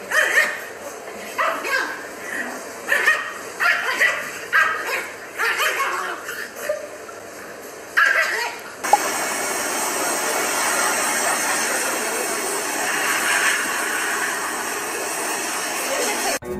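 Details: Two pugs bark while watching their own puppy videos: a run of short, sharp yips and barks over the first nine seconds, after which only steady hiss and background noise remain.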